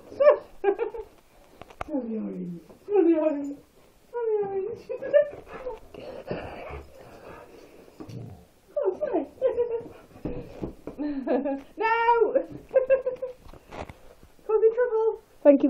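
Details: Cilla, an eight-month-old female Saluki foster dog, reacting oddly to the smell of orange peel indoors: bursts of high whines and wavering, yodel-like moans that rise and fall, repeated with short pauses throughout, with a few soft human words.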